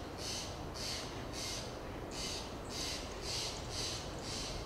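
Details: Fox squirrel (Sciurus niger) on a Monterey Pine in Del Monte Forest, California, giving lip calls: breathy, hissing puffs repeated about every half second, eight in under five seconds, over a steady low background rumble.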